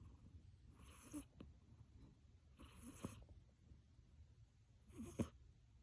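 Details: Pet cat Achilles sleeping deeply after a tiring play session, giving three breathy, wheezing snores about two seconds apart, with small clicks between.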